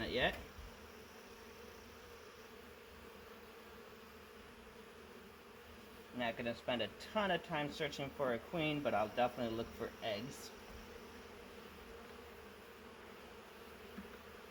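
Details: Massive honey bee swarm caught in a swarm trap, bees from a wild hive living in the woods for three years; a steady low droning hum runs throughout, with a person talking for several seconds midway.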